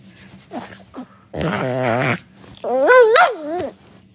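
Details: Indoor pet dog Luna, pestered for an interview, answers with two drawn-out grumbling growls that waver up and down in pitch like complaining talk, the second higher and more whiny, followed by a woman's Russian voice.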